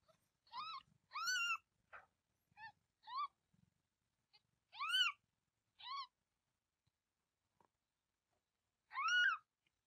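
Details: Domestic cat, a mother about to give birth while still holding her kitten, later giving birth to six. Harmonic, arched meows of varying length repeat irregularly with quiet gaps, one long loud call near the end.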